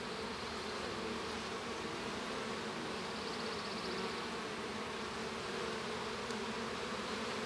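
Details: Honey bees inside a hive while a young bee hatches; a steady, dense droning hum with strong low bands, continuous and even throughout, with no breaks or separate calls.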